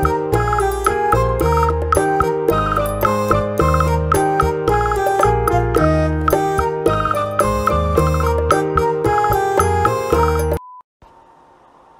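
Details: Bright, jingly children's music with glockenspiel-like notes plays steadily, then cuts to a short tone and near silence.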